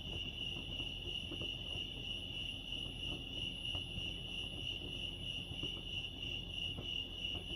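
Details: At Lake Arrowhead, California, crickets keep up a dense, even high-pitched chirping trill without pauses, over a faint low background murmur and a few soft clicks.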